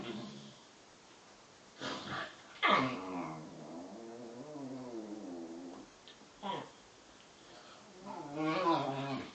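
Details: Bedlington Terriers Freddie, 7 months, and Lottie, 10 months, at play indoors; a drawn-out wavering growl-moan fills the middle, bracketed by sharper yelping bursts and a brief human voice.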